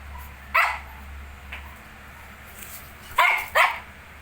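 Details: Shih Tzu with 19-day-old puppies: three short, sharp yapping barks, one alone near the start and a quick pair about three seconds later, over quiet room background.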